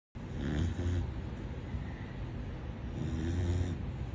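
A Corgi puppy snores loudly, each deep, throaty rumble rising and fading with a slow breath. The low, rattling snores come roughly every three seconds over a quiet background.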